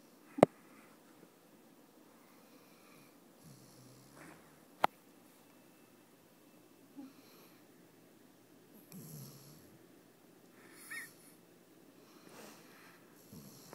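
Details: A sleeping pet Basset Hound, described as a bully, snores as usual with his tongue sticking out, indoors in a small room. Soft, breathy snorts and wheezes come irregularly every few seconds, with two sharp clicks early on against a quiet background.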